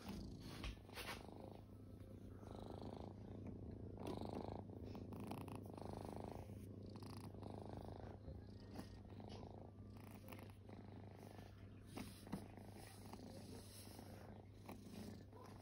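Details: Kittens resting and purring, a continuous low vibrating rumble with a pulsing texture, interrupted now and then by soft shuffling and brief rustling bursts.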